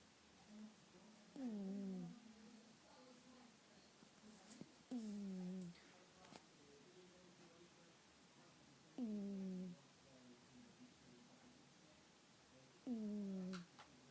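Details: Domestic cat snoring while asleep indoors: four short, nasal, downward-sliding snores spaced about four seconds apart, with faint soft breaths between them and occasional small clicks in a quiet room.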